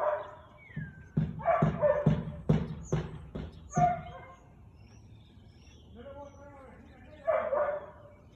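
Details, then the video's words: Siberian Husky recorded on 13 March 2021 at 4:17 pm, giving a fast run of about six punchy barks in under three seconds, followed by a softer, wavering vocal passage and a final bark, with quiet voices around. "Husky barking"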